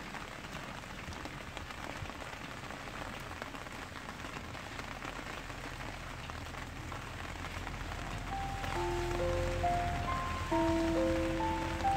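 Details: Steady rain patters on a surface throughout, and soft melodic music tones join in near the end.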